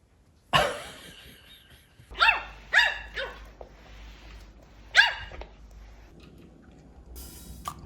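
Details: Pomeranian dog at home on a weekend, sulking and being comforted by its owner while asking for food and treats; five sharp, yappy barks, one at the start, then a quick cluster of three, then a single bark, with soft room hiss between.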